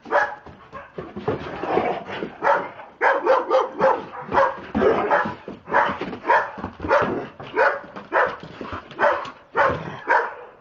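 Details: Two excited pet Dobermanns acting crazy, barking almost constantly. Short, forceful barks are spaced unevenly at roughly one and a half to two per second across the whole stretch, with some overlapping.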